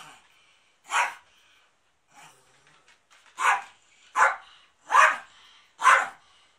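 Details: Pet dog at its owner's family home during a big cleanup, 13 March 2019, the house serving as a TV drama location; one bark, a quiet gap, then four sharp barks about one second apart.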